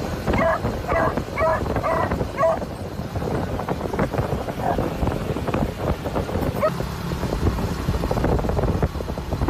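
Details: Three excited beagles barking and wagging their tails inside a customised moped sidecar in Phetchabun, Thailand, while their owner drives at around 40mph. Short harmonic barks come in a quick run early on, then a lone bark later, over steady engine and wind rumble.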